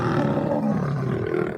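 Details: Lionesses in the Serengeti patrolling their territory boundaries, often several together, growl and roar to signal their presence and defend against intruders; a dense, low, continuous rumbling roar over the whole brief stretch.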